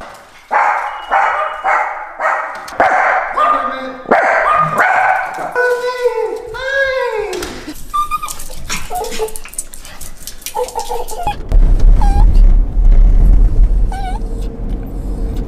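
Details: Pet dog crying and whining indoors, a run of loud, high, wavering whimpers and yelps repeated about every half second, some sliding up and down, with a person talking and household noise below.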